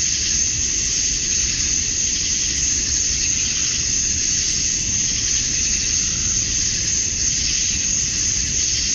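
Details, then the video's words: Cicadas at dusk on a summer night in Georgia, USA, males singing to draw females; unbroken shrill hissing drone with gentle swells in loudness and a soft low background murmur. "Cicadas at Dusk, Summer Night"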